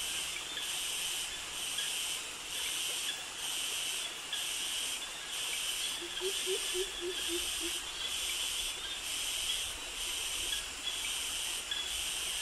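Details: Cicadas in tropical jungle beside mangroves in Krabi, Thailand, males singing a high-pitched mating call from the trees. A loud, hissing buzz swells and fades in steady pulses about once a second over a constant shrill insect drone. A brief run of soft, low bird notes sounds midway.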